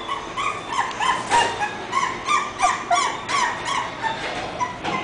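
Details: English bulldog puppy named Bumi giving a steady run of short, high whining yelps, roughly three each second, each note bright and slightly falling, with a faint low hum underneath.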